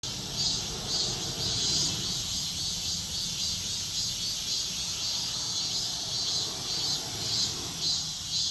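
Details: Cicadas singing at dawn, a dense shrill buzzing chorus high in pitch that swells and fades about twice a second, with a soft low rumble of background noise underneath.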